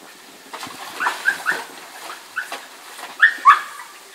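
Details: Four-month-old male Malinois puppy throwing a fit when a girl puts her head under water in a small pool; short high-pitched whines and yelps in clusters, louder pair near the end, with faint splashing.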